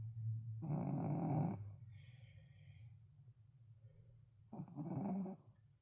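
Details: Indoors, a sleeping, tired Shih Tzu gives two harsh, rattling snores about three seconds apart, a faint quiet breath sounding between them.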